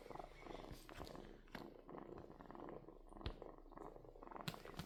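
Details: Steady rhythmic purr from a kitten, low pulsed rumble repeating evenly throughout, with occasional soft clicks and taps.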